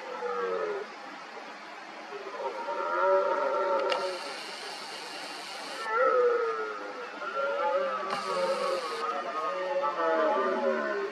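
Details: Several red deer stags roaring during the 2023 rut, smaller rivals working each other into a frenzy around an injured dominant stag; drawn-out harmonic roars overlap and repeat throughout, with two short bursts of broadband noise.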